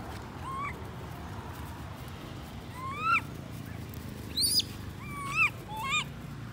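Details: Baby monkey Lori crying after her mother Amari leaves her alone: a burst of high, harmonic-rich squealing cries, each rising then dropping, given singly and in quick pairs a second or so apart over a low rumbling background.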